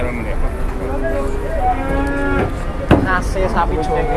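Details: A cow in Indonesia that collapsed and then turned aggressive gives a long, low, drawn-out moo lasting about a second and a half, amid murmuring voices of a gathering crowd and a sharp knock near the end.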